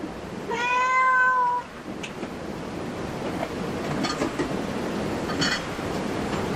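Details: One clear, level meow from a cat at a cat cafe, lasting about a second, followed by steady rumbling background noise and faint clicks.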